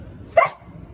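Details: Rottweiler dog giving a single sharp, loud bark on the 'speak' command during a training session, one short burst with a man's voice giving instructions before and after.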